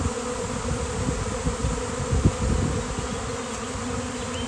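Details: Thousands of swarming honeybees on a fine-weather day, one landing on a hand; a dense, steady low buzz fills the air with small bursts of louder humming and faint handling noise.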